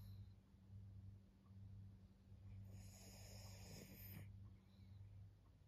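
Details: Maria, a fourteen-year-old fawn female senior pug in Japan, recorded in October 2024, snoring softly: low rumbling breaths that swell and fade roughly once a second, with a brief higher rustling burst midway and a quiet steady hum behind.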